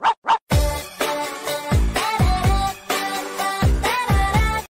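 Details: Pop music with singing and scratching effects, strong rhythmic beats and bright tonal lines; no animal voice is heard.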